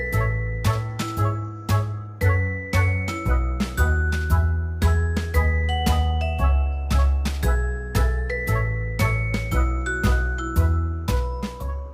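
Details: Bright tinkling chime music plays a steady, lilting melody over a deep repeating bass note, with no animal sound.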